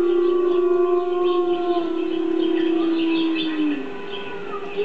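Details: Drawn-out howl from the dog Gordi, set off by a recording of howling wolves; the tone holds level for about three seconds, then sinks and fades away, before a new howl rises at the close.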